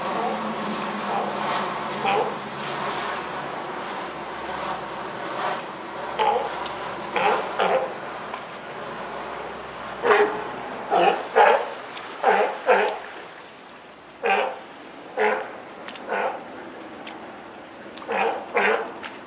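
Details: California sea lion mother with newborn pup at Higashiyama Zoo and Botanical Gardens, Japan, on Wednesday 28 June 2023; a string of short, hoarse barking calls, irregular then quickening in the second half, over a steady urban background hum.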